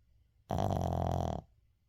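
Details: A sleeping Shih Tzu named Uijung snores indoors: one loud, raspy, low-pitched rattling breath lasting about a second, then quiet.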